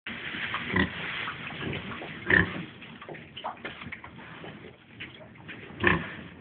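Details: Four-day-old piglets suckling: busy overlapping soft grunts and snuffles, broken by three sharp, high squeals, with a low murmur underneath throughout.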